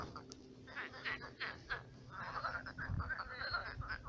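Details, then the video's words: Frogs croak at night in a shrunken pond that became a swamp. Scattered, irregular croaks, some fainter and some louder, come at roughly a second apart over a low background rumble. "Кваканье лягушек. Лягушки квакают."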